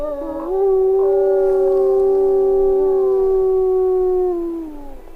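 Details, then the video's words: Wolf holding one long, steady, even-pitched howl for several seconds while a fainter second howl wavers beside it, then fades out. "صوت عواء الذئب ! sound of wolf"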